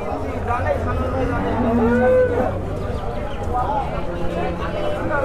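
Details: Holstein Friesian dairy cows, an improved breed giving 40 liters of milk, at the Oronkhola cattle market during milking; drawn-out, wavering lowing calls rise and fall over a steady low drone, mixed with market chatter and voices.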